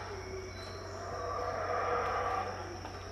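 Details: Unseen howler monkeys roar in the distance at Tikal in Guatemala at about 6am, one hoarse swelling howl building through the middle seconds over a constant shrill insect drone.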